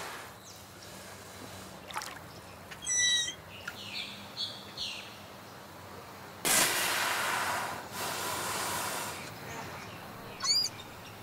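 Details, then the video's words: West Indian manatee giving high, squeaky chirps underwater in a Caribbean river, with a burst of rushing water noise; manatees chirp, whistle and squeak to communicate, most often between mothers and calves. "Manatee sounds underwater in the river of the Caribbean Sea!"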